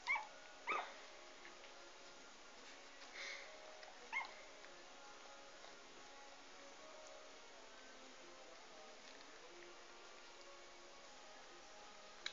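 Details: Litter of Irish Terrier puppies, filmed 10 July; a few short, high squeaks and whimpers, the loudest near the start and a couple more around three and four seconds, then mostly quiet room noise.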